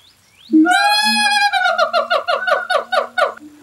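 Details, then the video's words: In the morning, a siamang pair, recent first-time parents, at a zoo's Asian area sing loud, ringing hoots that break into a fast run of pulsed, barking notes. "Walk through the Asian area at the Alexandria Zoo on any given morning and you're likely to be serenaded by siamangs Tucker and Ashley."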